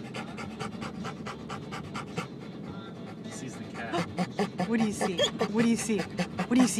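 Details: Excited panting from Denali, a dog on a car ride hoping for the dog park, steady at first and then mixed with higher whimpers as a person keeps asking what the dog sees.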